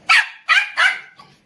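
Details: Three sharp, high barks from an Indian Spitz dog, spaced roughly every third of a second, with a faint softer yelp trailing after.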